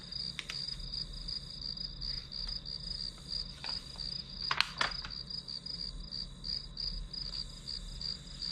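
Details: Continuous high, rhythmic chirping of grass insects, pulsed roughly three times per second, broken by a few sharp tapping and clicking noises close by.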